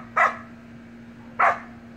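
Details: Two sharp puppy barks about a second apart from Samoyed siblings at play in a pool, with quiet between them and a constant low electrical hum.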